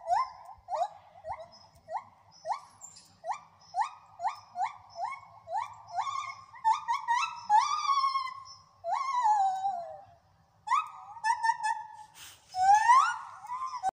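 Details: Several gibbons at a rescue sanctuary in Wales sing a series of rising hoots that quicken and build into long, swooping wails.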